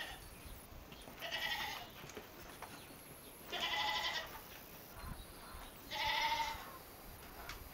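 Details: Goats in a village on a morning as they are led out to pasture: three loud, drawn-out, nasal bleats rich in harmonics, each under a second long, spaced about two and a half seconds apart over a faint background hiss.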